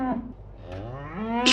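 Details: Cow giving a single drawn-out moo, low and richly harmonic, starting level and then rising in pitch toward the end before a brief noisy burst cuts it off.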